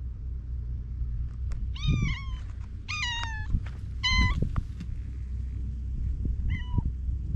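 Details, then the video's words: Evening gathering of stray cats outdoors, seemingly conversing: four clear meows, some drawn-out and falling in pitch, spaced about a second apart, with low rumbling background noise and occasional clicks. "夕方の猫の集会 野良猫たち何か会話してないか?"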